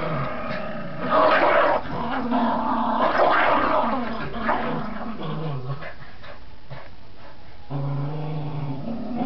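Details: Border Terriers Gracie and Marvin growling during a game of tug: a rough, rumbling growl with steady low harmonic bands, swelling louder around the first few seconds, dipping, then returning near the end, with scuffling noises throughout.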